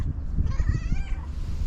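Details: Fluffy female tabby cat with a trilling voice, meowing excitedly while asking for love and food; one wavering, tonal meow lasting about half a second over heavy low-pitched background rumble.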